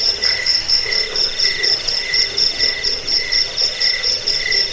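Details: Crickets, played to repel rats, aid sleep and train birds: bright, ringing chirps in two high tones, arriving in even bursts roughly every half second.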